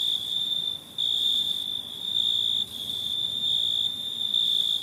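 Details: Nighttime cricket song, an almost unbroken high, piercing ringing tone with only brief dips in loudness, heard over low ambient noise.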